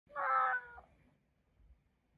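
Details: Male pet cat meowing to ask for a meal minutes after finishing one; a single drawn-out, whiny meow with rich harmonics lasting under a second, then quiet with faint low room noise.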